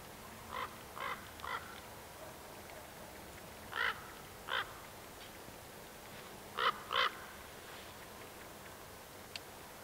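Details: A roe deer (Capreolus capreolus) in a small herd of young bucks and does gives short, harsh, hoarse barks in loose groups of two or three.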